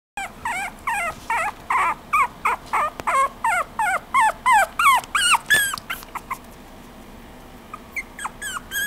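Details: Chihuahua giving a rapid series of high, whiny, rising-and-falling yelps and whimpers, nearly three per second for about six seconds, then a few scattered softer cries.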